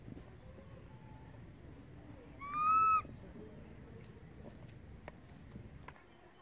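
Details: ['Monkey infant crying for its mother after she moved away: a single loud, steady, whistle-like wail lasting about half a second, rising slightly, amid low background noise and faint clicks.']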